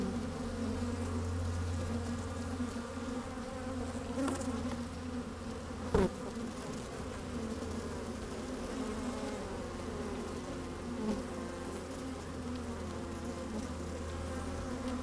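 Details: Sunny-day recording inside an opened hive where honey bees move about and occasionally buzz: an unbroken low drone with a deep steady tone and one sharp knock about six seconds in.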